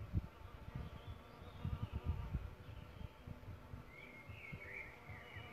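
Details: Solitary bees at a bug hotel where they nest: rough, low buzzing bursts crowd the first two and a half seconds, then fade as a bird's whistled phrase rises near the end.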